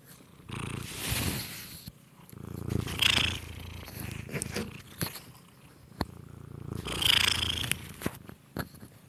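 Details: Cat purring and biting into a microphone up close: low rumbling purr in slow pulses, broken by loud crackling scrapes and thumps from the bites against the microphone.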